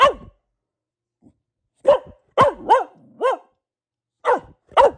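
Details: Female Boxer named Luna giving bursts of barks: a single bark, a pause, then a quick cluster of four arched barks, another pause and two more, in a quiet room.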